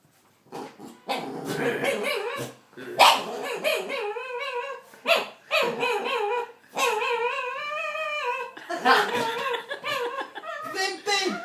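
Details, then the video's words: Pet dog, described as a bit of a wimp, making weird noises while a child stares at him indoors. There are bursts of wavering, whiny yelps that rise and fall, separated by short gaps, and muffled voices nearby. "Strange dog noises"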